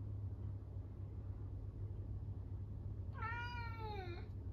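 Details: Norwegian Forest Cat left alone by its owner, crying loudly indoors; after about three seconds of quiet low hum, a single long, level, harmonic-rich meow that slides downward at its end.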